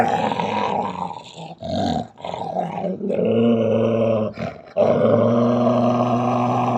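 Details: Female Belgian Malinois growling aggressively, unprovoked; low, throaty, rattling growls in several bursts separated by short pauses, the last long growl steady and loud.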